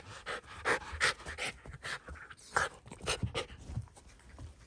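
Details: Excited Shiba Inu indoors, sniffing and running around a blanket where a family member back after three months is hiding, panting in quick, breathy puffs with sniffs and soft rustling.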